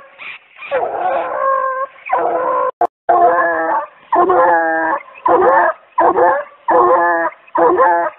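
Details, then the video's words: Treeing Walker Coonhound pup showing off an angry-sounding tree mouth during conditioning for fall: a steady run of drawn-out, harmonic, howling barks, about one every second, with a brief click between calls. "Shows Off Angry Tree Mouth--Treeing Walker Coonhound"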